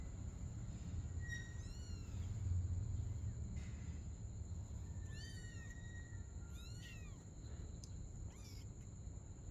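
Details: Domestic cats, a mother and her kitten, playing together at night; three thin, high meows rise and fall with bright overtones, spaced a few seconds apart, over a steady low rumble and a constant high-pitched whine.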